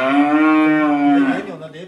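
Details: A free-range native yellow cow raised on a mountain, one of two that had never ridden in a vehicle. It gives a loud, steady, drawn-out moo lasting over a second, with a clean tone that fades into breathy noise.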